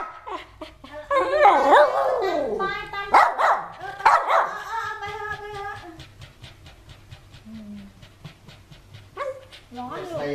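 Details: Pet dog in Chonburi, Thailand, welcoming back a person after nearly two years; long warbling, wavering howl-like yowls that slide up and down, then fading quieter whines, with a human voice and low background hum.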